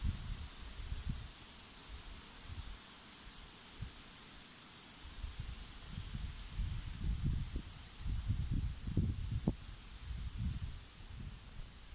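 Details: Low rustling and handling thumps come in bursts against a steady hiss, with no clear animal voice.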